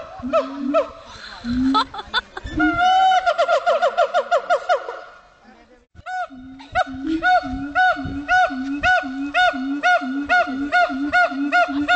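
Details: Siamang at Dubbo zoo in New South Wales howling: loud rhythmic hoots repeated about twice a second, interleaved with low booming notes and a rapid accelerating series of rising whoops, with a brief pause mid-way.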